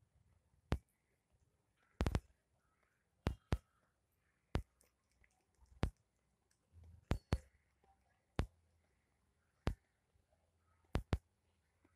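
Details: Quiet indoor room with sharp clicks and handling knocks spaced irregularly every second or so, plus faint murmurs, and no animal voice.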